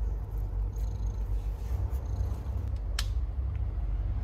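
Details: Purring of a stray cat during the birth of her kittens, a dense low rumble running without pause, broken by a brief sharp click about three seconds in.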